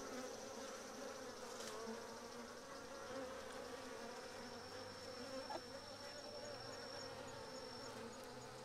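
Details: Japanese honey bees swarming a Japanese hornet, which they cook inside a bee ball, give a dense, even droning hum with a faint high whine and one soft knock midway.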